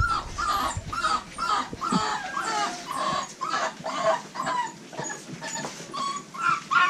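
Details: Thin, rising-and-falling whines pour from a litter of American Bully puppies bred at Royal Kennels (Diesel aka The Big Mac x Mia), overlapping in quick succession roughly twice a second with no pause.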